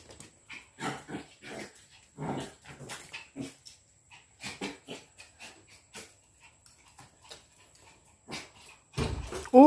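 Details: Jack Russell and Lhasa Apso locked in a playful fight: short harsh bursts of growling and barking come in uneven clusters with brief silent gaps between, and a loud clatter at the very end.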